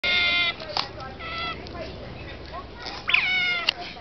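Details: Otters calling at Shepreth wildlife park on 18 May 2008, close to feeding time; high, wavering squeaky calls with harmonics in short bursts, louder rising squeals near the end.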